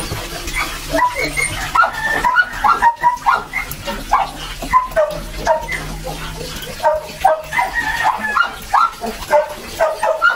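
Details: Belgian Malinois puppies being bathed and dewormed, their second deworming, in a rural Philippine setting; high yelping yips come in quick runs of several, with short gaps, over background chatter and a low hum.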